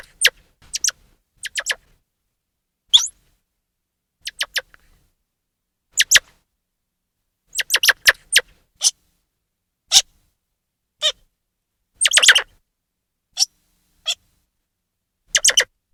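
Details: Grey squirrel chirping loudly with brief, crisp calls scattered irregularly over sixteen seconds, sometimes in quick pairs or triplets, plus a longer rasping burst near the end. The background is otherwise quiet.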